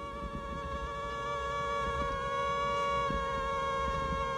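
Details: Male and female mosquito placed together, their tones shifting slightly as they adjust wing beats toward each other: a steady, high, buzzing whine with many stacked overtones, unbroken throughout.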